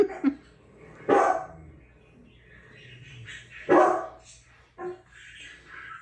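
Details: Great Danes Lexi and Levi reacting to dogs barking on TV: two sharp, loud single barks about two and a half seconds apart, with quieter murmuring and faint background sounds between them.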